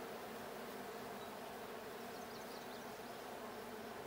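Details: Continuous buzzing of many honey bees inside a blue hive, recorded during a hive check on 20 June 2022. The deep, even hum is unbroken, with a faint high chirp or two far behind.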